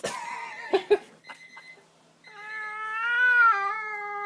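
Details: Domestic cat, angry and worked up after seeing another cat outside, touched indoors: a few short sharp sounds, then a long drawn-out wavering yowl that rises slightly, holds steady and dips near the end.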